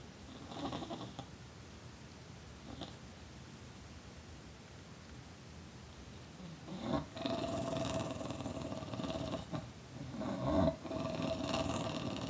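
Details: Tulip, a pet bulldog, growling and snarling indoors: low rough grunts early, then from about seven seconds a sustained throaty rumble with a nasal, gobble-like tone, swelling near ten seconds, with brief human voice nearby.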